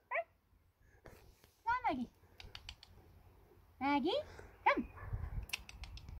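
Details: Female Bernese Mountain Dog puppy called Maggie, refusing her new kennel, lets out drawn, bending whimpers that slide downward, about three separate cries over several seconds, mixed with voices calling her name.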